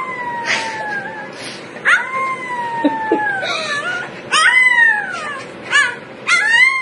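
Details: Puppies howling over one another with repeated high, falling howls and short yips, some overlapping, over a steady background hiss.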